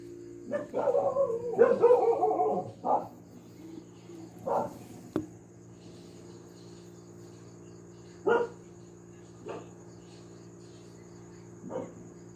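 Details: Pet dog barking again and again at home, opening with a quick burst of rough overlapping barks, then spaced single barks every one to three seconds, with a constant low hum beneath.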